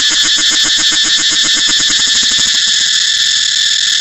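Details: Cicada calling with a piercing high buzz, modulated in quick rhythmic pulses about eight per second that fade to a smooth drone after about three seconds.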